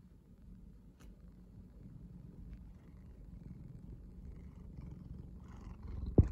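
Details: Large domestic cat purring steadily during a close, affectionate moment, a low continuous rumbling throb that holds for several seconds, ending with a sharp rustle or bump.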